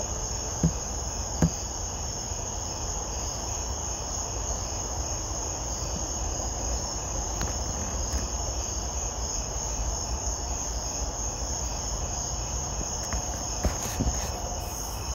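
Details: A katydid stridulates on a summer night, rubbing its wings together to make a steady, high, shimmering buzz that can be surprisingly loud.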